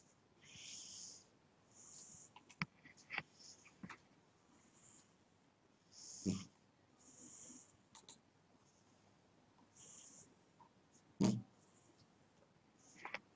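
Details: Snoring house cat asleep, soft breathy inhales and exhales every few seconds, with deeper rattling snorts at intervals and a few faint clicks in a quiet room.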